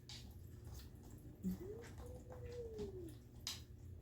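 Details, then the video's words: A kitten making strange noises gives a single faint, drawn-out mew that rises and then falls, lasting about one and a half seconds, over a steady low hum with a few soft clicks. "Kitten making strange noises"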